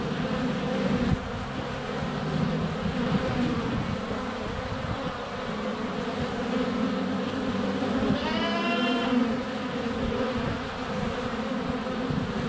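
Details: Honey bees flying around the hive entrance on a sunny February day, filmed with a GoPro; steady dense buzzing hum, with a short bleating goat call rising over it around the middle.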